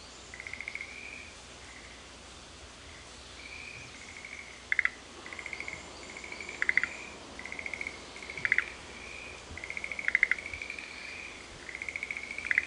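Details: At Sanzen-in's Shuheki-en, a Japanese garden in Ohara, Kyoto, frogs answer one another with high, smooth drawn tones and sharp pulsed clicks, repeated roughly every one to two seconds over steady background hiss.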